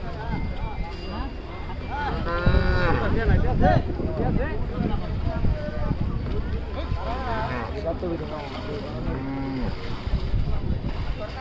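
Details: Large cow being unloaded: a few deep, drawn-out moos with a wavering tone rise above a constant low rumble of machinery, with clattering and other noise throughout.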